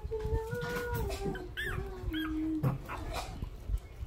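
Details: A newborn puppy, hungry, gives a long thin wavering whine that slowly falls in pitch, followed by a couple of brief higher squeaks, amid muffled rustling.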